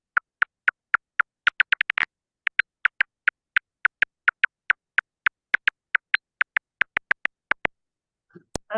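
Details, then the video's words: A silver-haired bat feeding in a valley in British Columbia, its echolocation made audible as steady dry clicks that briefly speed into a rapid feeding buzz. "I don't know if everybody was able to hear that on Zoom, but that is the call of a silver-haired bat feeding in the valley."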